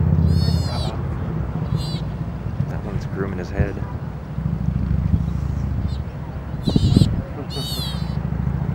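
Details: Baby sea otter, the loudest of many babies in a group, squeaking in complaint while its mother cleans it before she puts her paw over its mouth; high harmonic squeals in short bursts over low boat-like rumble and water.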